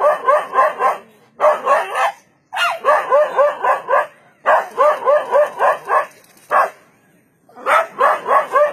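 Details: A dog barks at a leopard, barking credited with saving its life; quick clusters of loud barks, several per second, alternate with pauses of up to a second.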